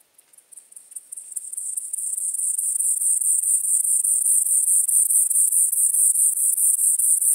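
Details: White-clubbed grasshopper (Gomphocerippus rufus) at Elsbethen, Austria, 18 September 2020, picked up with an ultrasound detector: a very high, steady, rapidly pulsed buzzing that swells from faint ticks into a loud continuous chirring, about two pulses per second.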